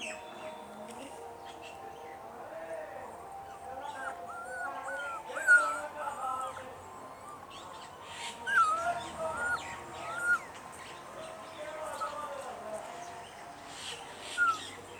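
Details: Hungry puppies crying for their mother and craving milk and food, giving wavering, high-pitched whines that rise and fall in pitch and come at irregular intervals, with a few louder squeals standing out over a soft, steady background hum.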